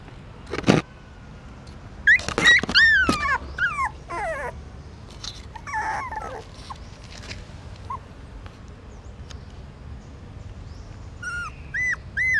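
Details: Newborn puppies suckling their mother's milk in the stupa of a pagoda in Siem Reap, Cambodia; a few short, arched whines around two to three seconds and again near the end, between scattered clicks and rustling.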